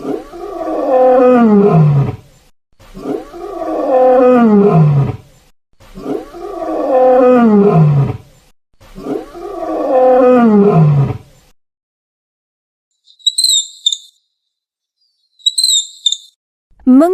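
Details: Lion roaring four times, each a deep moaning roar sliding downward in pitch and lasting about two seconds, spaced about three seconds apart; afterward come brief high chirps from another animal.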